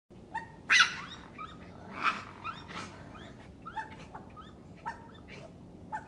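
A raccoon gives short, whiny chirps and squeals, with a few louder harsh bursts.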